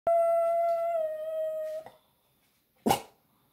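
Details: A Boston Terrier lets out what its owner calls a war cry: a drawn-out, even, ringing howl lasting nearly two seconds that dips slightly at the end, then after a brief pause a single sharp, breathy bark.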